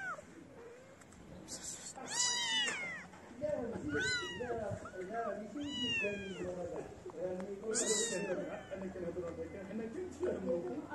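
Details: Homeless kittens abandon their black-nosed mother to gather around a person, repeating high arched meows every couple of seconds over a busy background of rustling and low murmuring.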